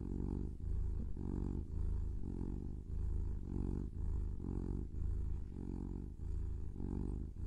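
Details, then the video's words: Purring from a kitten, a low, even rumble broken into rhythmic in-and-out breath phases just under a second apart, steady throughout. "Kitten Purring"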